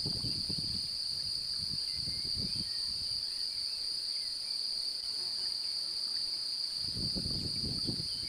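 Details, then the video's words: Male cricket singing while seeking to mate, a female nearby seemingly interested; a steady, unbroken high-pitched trill throughout, with low rumbling handling noise at the start and end. "Grillon mâle cherche a s’accoupler et chante"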